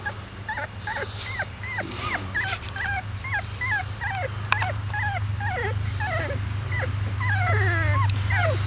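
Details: Squealing 22-day-old Basset Hound puppies: quick, regular high whimpers about two or three per second, each a short note that dips downward, with a steady low electrical-sounding hum underneath and one sharp click.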